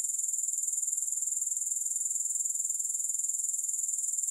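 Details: A steady, high-pitched insect trill from grasshoppers, pulsing evenly around four times a second without a break. Nothing else is audible behind the shrill sound.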